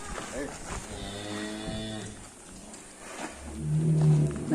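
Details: Extra-large show-class cattle in Indonesia being led out of their pen. Two deep, droning moos with stacked harmonics, the first lasting about a second, the second longer and rising in loudness near the end, with faint human voices behind.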